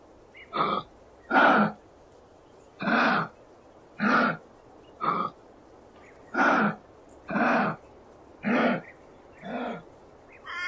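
A kangaroo gives a string of husky, raspy grunts, each a short harsh burst about a second apart.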